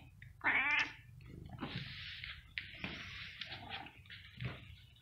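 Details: Cat giving a short strained meow followed by longer, rougher drawn-out wailing cries, with breathy noise and a low background rumble.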